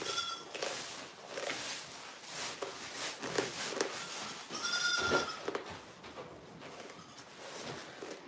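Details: Goat on a farm with two drawn-out, reedy bleats, one early and a stronger one past the midpoint, over frequent tapping, clattering and shuffling sounds.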